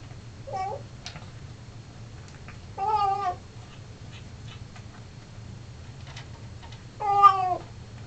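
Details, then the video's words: Indoors, a male Siamese cat sings as he eats, giving a short mew, then two long, loud, tremulous yowls about four seconds apart. The pitch wobbles up and down within each one over a constant low mechanical hum. "Singing Siamese"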